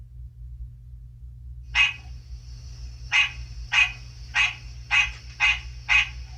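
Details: A recording of a male American green tree frog, played to pet frogs in an indoor reptile room in mid-March, gives nasal, bell-like quonks repeated about twice a second.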